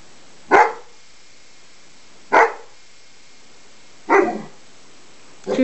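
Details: A dog during play between a Greater Swiss Mountain Dog puppy and another dog, indoors: four short, loud barks, each about two seconds apart, with a quiet steady background hum.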